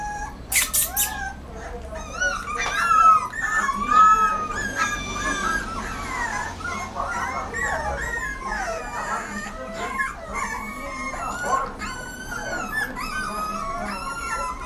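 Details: Rottweiler puppy whining amid a dense, overlapping chorus of many squeaky, wavering whimpers, with a low background hum and a couple of sharp bursts near the start.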